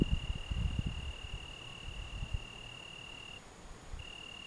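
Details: Algarve June evening song of an Italian tree cricket: an even, high, continuous trill with one short gap before the end. Low wind rumble is heard at the start.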